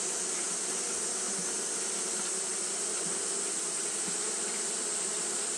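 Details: Japanese honey bees fanning nonstop on a hot day, a steady droning hum with stacked low harmonics that holds without a break, under a constant bright high-pitched hiss.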